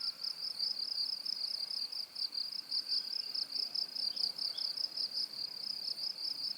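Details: A cricket trills steadily in a high, pulsing, continuous chirp around 4.0–6.0 kHz.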